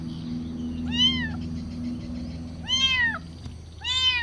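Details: Kitten asking for food with three bright, arching meows, each rising then falling, spaced about a second apart over a low droning background.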